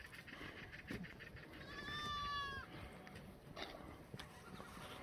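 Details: Black goat on a free-range, antibiotic-free farm in the Muchuksan foothills, Gimhae, South Gyeongsang, Korea, in the exercise yard on a clear Friday morning, 8 May 2020. A single faint, nasal, harmonic bleat lasts about a second over steady outdoor background noise.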